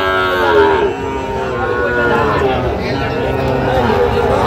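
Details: Sahiwal bull calves and bulls at the Ambari cattle market in Dinajpur, Bangladesh, on Friday 1 August 2025: a low, drawn-out moo with gliding tones, amid steady crowd chatter and a man speaking.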